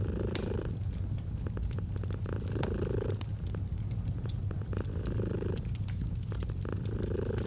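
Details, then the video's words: Pet cat's purr, recorded for relaxation with a crackling fireplace: a deep, even rumble whose breath swells come at intervals of about 1.5 to 2 seconds, with frequent sharp wood pops. "Purring of a Cat"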